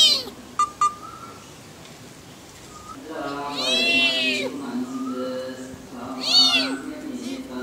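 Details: Two leopard cubs found in a sugarcane field in Chamarajanagar, India, give high, wavering mews, one long mew near the middle and a shorter one later, over people talking and a low background hum.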